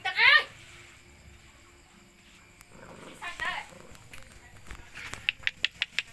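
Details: Puppies being fed: a loud, high, rising harmonic yelp-whine opens, a second wavering whine follows midway, then a run of sharp rapid taps near the end, with people talking in the background.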